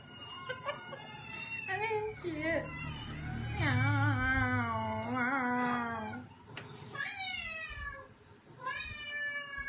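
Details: Pet cats Katty and Pchie meowing indoors: a loud, long, wavering meow with strong harmonics sliding up and down, followed by shorter rising meows, overlapping a person's voice in a small room.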